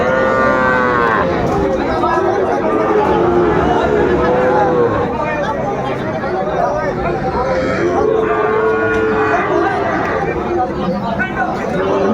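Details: Bellowing cattle, including a Sahiwal bull bought by a farmer from Brahmanbaria, Bangladesh, at a market on 31 May 2024: a strong moo at the start and another near eight seconds, over a dense background of chattering people.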